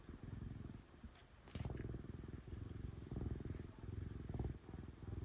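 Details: Female domestic cat purring loudly as she is petted; throaty low rumble in irregular breath-linked bursts, a brief quieter gap early on, and a short rustle of fur or handling.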